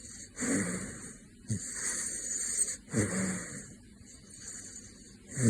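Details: A caracal named Gosha snores in slow, breathy rasps, each rough inhale rumbling low and fading out.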